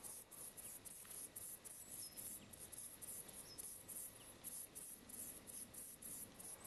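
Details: A saddle-backed bush-cricket (Ephippiger ephippiger) sings short, high, scratchy chirps, repeated several times a second.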